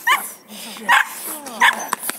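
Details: A 3.5-month-old Belgian Malinois puppy gives three sharp, high-pitched yips, each short and spaced under a second apart.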